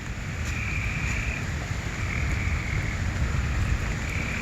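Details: Frogs calling intensely in a flooded area during rain in Vestavia Hills, Alabama: sustained high trills recur in long stretches, about every second, under heavy low rumble of flowing water and wind.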